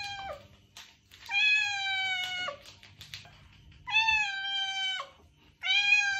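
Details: Domestic cat meows used to attract a stray cat: three long, drawn-out meows, each holding a steady tone with rich harmonics and dropping slightly at the end, separated by short quiet gaps.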